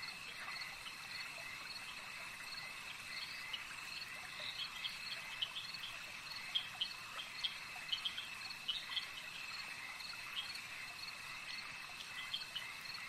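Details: Lakeside frog chorus, many callers overlapping into an even high-pitched trill, with brief bright chirps popping out more often in the second half; no other sounds intrude on the quiet natural ambience.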